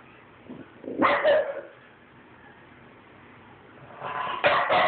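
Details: French Bulldog pair, one a 9-week-old puppy, squabbling; a short burst of two harsh barks after a second, quiet pause, then a rising run of rough yapping growls at the end.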